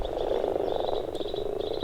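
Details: At a Finnish breeding pond in spring during spawning, male common frogs give soft, low, purring croaks that overlap continuously, calling to guide still-arriving females.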